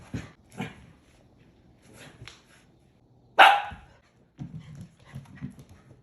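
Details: A husky and a Shiba Inu puppy playing and chasing. A single sharp, loud bark cuts in mid-clip, surrounded by quieter huffs, soft vocal noises and scuffling.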